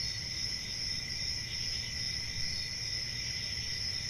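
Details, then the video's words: Unbroken cricket chirping, a high, thin, even drone with a fainter lower-pitched layer, holding steady throughout with a faint low hum underneath. "1 Hour of Cricket Sounds"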